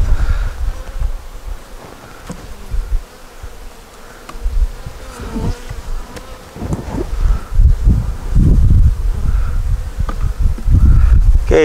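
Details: Honey bees at an open hive during an inspection checking for a queen, eggs, brood and stores; a steady low hum with faint higher overtones runs throughout, broken by loud low thumps and rumbles from frames being handled.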